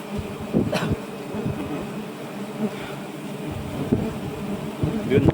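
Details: A low, continuous drone from a colony of giant honey bees while their nest is harvested at nightfall. Occasional knocks and handling noises come through, and a faint voice is heard in the background.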